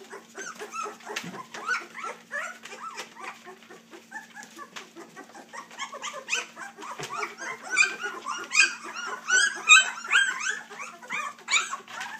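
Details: Several three-week-old puppies from Dixie and Colby whimper and squeak in a jumbled, overlapping stream of short rising cries, quieter at first and then swelling louder toward the end, with occasional thumps and a steady hum.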